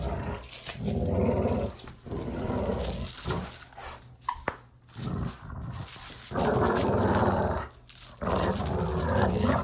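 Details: Growling from dogs at play, meant to help dogs grow used to such sounds: long rolling growls lasting one to two seconds each, deep and raspy, broken by brief pauses and a short sharp noise midway.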